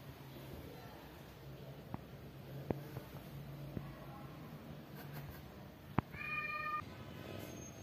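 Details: A kitten among stray and house-born kittens gives a single short meow with a steady pitch near the end, after a stretch of quiet room noise with scattered clicks and taps.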